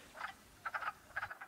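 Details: After warm days in early spring, crowds of mating wood frogs in a small vernal pool in the Northeast give short, hoarse, duck-like quacking clucks in quick clustered bursts, a breeding chorus.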